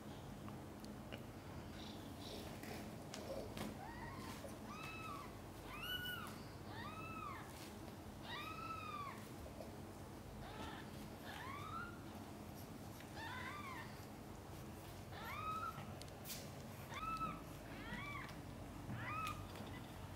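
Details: Domestic cat, mother cat Chan, during the birth of five kittens, some born backwards; thin, high, arched mews repeated about every one to two seconds over a low indoor hum, with occasional soft clicks.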